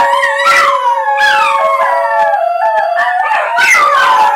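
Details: Three Basenjis howling in chorus, triggered by a plane overhead or by people howling to them; loud, continuous overlapping howls with long gliding notes that slide downward, and repeated wavering upper voices.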